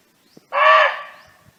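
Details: Single harsh, loud bark from a barking deer roaming free in nature, calling to a companion; one abrupt half-second bark with a rich, rasping tone, with faint clicks before and after.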